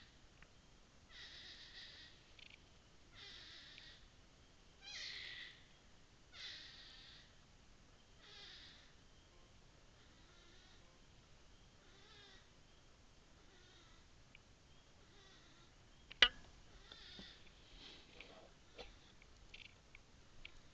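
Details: A suspected abandoned American black bear cub gives faint, high, cat-like mewing cries every second or two. It was heard at night over 2–3 nights in June 2008 near Porters Lake, about 20 feet inside the tree line and 15 feet up in storm blowdown, just after a major forest fire.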